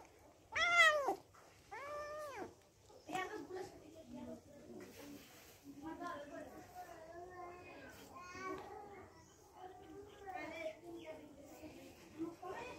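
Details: Kitten that gets angry when disturbed at its food gives two sharp high meows, the first louder. Human voices and mixed indoor sounds continue after them.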